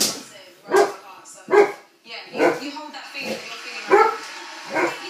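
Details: An Irish Setter barks at a balloon, giving about six short, punchy barks roughly every 0.8 seconds, with people's voices faintly underneath.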